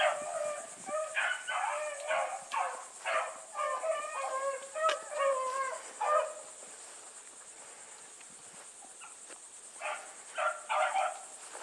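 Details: A pack of Bluetick Coonhounds on the run alongside Sassy, baying in a busy chorus of short, musical, overlapping notes for about six seconds, a lull, then a few more bays, over a constant shrill insect hum.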